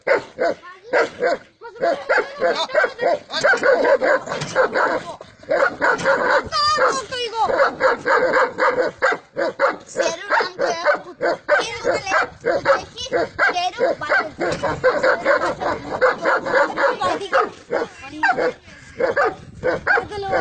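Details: Tibetan Mastiff and Gaddi dogs at a kennel in Khanna, Punjab, barking in dense, rapid bursts almost without pause, with loud harmonic barks overlapping one another and a man's voice mixed in throughout.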